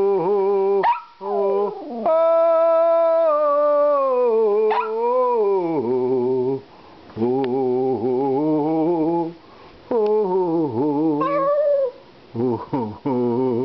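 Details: A 12-year-old Maltese terrier living in Melbourne, Australia, howls along to the American national anthem and Danny Boy: long sustained, wavering tones with sliding pitch, broken by short pauses and yips, then a man's brief praise.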